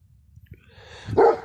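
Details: A Kangal dog in a village in spring, suffering from the heat, gives one short, abrupt bark after a second of faint rustling and low background noise.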